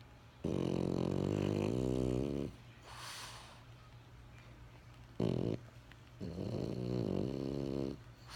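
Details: Benjamin, a French Bulldog, snoring: two long, rasping, low buzzy snores of about two seconds each, separated by a soft breathy exhale and a brief snort, in a quiet room.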